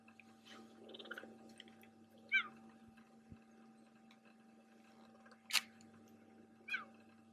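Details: On safari in Kenya, a cheetah calls out to his brother with three loud, sharp, high, bird-like chirps spaced a couple of seconds apart, over a steady low engine hum and faint rustling.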